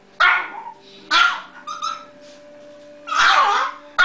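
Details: Bitzy, a tiny pet dog, barks sharply indoors in a small room, going wild for no clear reason: three loud, harsh barks spaced about a second apart, with a steady electronic hum underneath.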